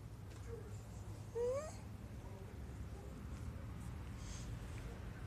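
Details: Remy, a pet cat indoors, meows up close after coming in from outside, wanting to be followed out onto the balcony. One short rising meow with clear harmonics stands out over a steady low indoor hum.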